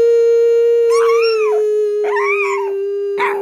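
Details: A Chihuahua singing along, howling in short, arching wails over a steady sustained musical tone, apparently to a Christmas song.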